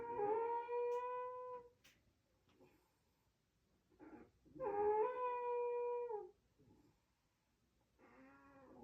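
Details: Raccoon asleep, giving loud trumpeting snores: sustained, harmonic, horn-like notes lasting up to two seconds, the second dipping then rising slightly, with soft breathy gaps between and a shorter, lower snore beginning near the close.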